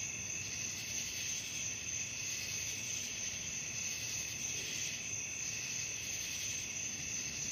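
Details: Crickets calling at night, a steady unbroken high-pitched trill sustained throughout, layered in several shrill bands with slight pulsing swells, no other animals or voices audible.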